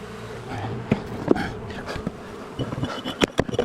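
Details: Honey bees from a long-established wall colony during a rescue cutout, turning angry as darkness fell; a steady buzzing hum runs throughout, broken by sharp knocks and clicks of work.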